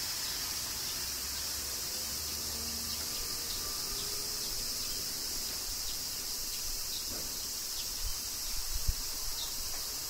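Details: Kyoto, Japan in summer rain: an unbroken, piercing cicada hiss fills the high range while faint low hums and scattered light taps come and go underneath.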